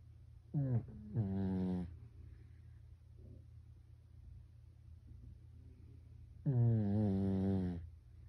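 A sleeping Pekingese snores in low, rasping, harmonic bursts, much like a person snoring.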